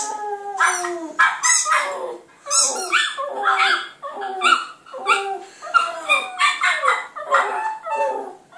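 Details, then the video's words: Howling Border Terrier pup Clyde, facing a computer, repeats falling, quavering howls about every half second to second, each sliding downward in pitch, mixed with short yips. "clyde puppy howling at computer"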